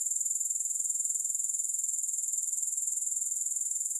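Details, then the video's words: Shrill, unbroken insect chorus from grasshoppers: a fine pulsing trill held at a constant high pitch, quick even beats throughout, nothing else audible. "Grass Hopper Sounds"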